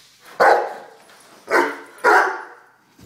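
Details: A one-year-old Weimaraner dog barking indoors: three loud, sharp barks, the first alone and the next two close together about half a second apart, with quiet between them.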